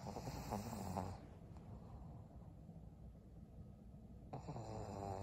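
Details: Maria, a 12-year-old fawn female senior pug in Japan, recorded on 6 December 2022, snoring indoors: rough, low rumbling breaths at the start and again near the end, with a quieter stretch of soft breathing between.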